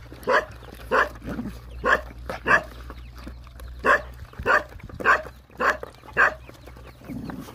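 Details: Hungry Rottweiler dogs, puppies nursing: a steady series of short, sharp yelping barks, roughly two each second, over a faint low hum.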